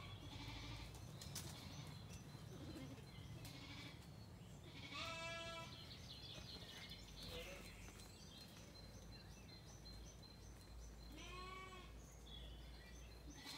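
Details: Zwartbles sheep on a County Kilkenny farm in Ireland settle for the night at sunset after feeding, a lamb calling and a ewe answering. Two harmonic bleats about six seconds apart rise over steady low rumble and faint background chirps.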